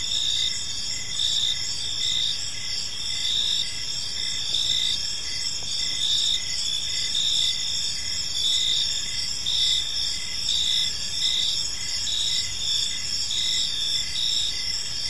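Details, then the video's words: Park crickets at dusk keep up a dense, unbroken high trilling, layered pulses from several insects overlapping so the chirps blur into a steady shimmering chorus, only quiet low ambience behind. "Cricket Sounds in a Peaceful Park"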